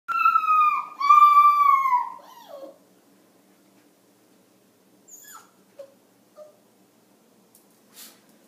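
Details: Small dog of about five pounds howling in the morning: two long tonal wails, the second sliding gently downward and ending in a falling whine, followed by quiet with a few faint soft noises.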